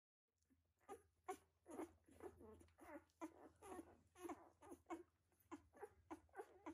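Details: Litter of one-week-old puppies in their whelping box, giving short, soft squeaks and grunts in quick irregular bursts, about a dozen in under seven seconds, over a faint steady low hum.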